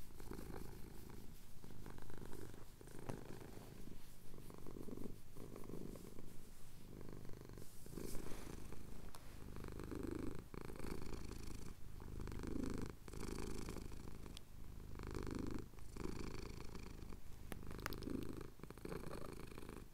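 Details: Softer purring from a male cat having his chin scratched as the sun rises over the Cotswold hills, Tascam DR-07X; a quieter low hum waxing and waning with breaths, with intermittent handling clicks.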